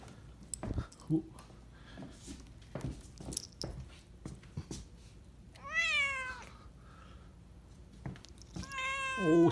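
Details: A male pet cat play-fighting with its owner late in the evening, slapping and biting, gives two drawn-out, wavering meows near the end, each rising then falling; the owner talks softly and there are scattered thumps and rustling indoors.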